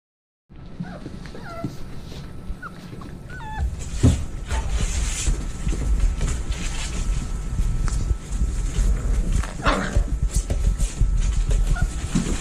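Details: Rottweiler puppies from a litter of 14 (10 males, 4 females) born December 19, 2020 in San Diego give short, thin whimpers over steady low rumbling and shuffling noise.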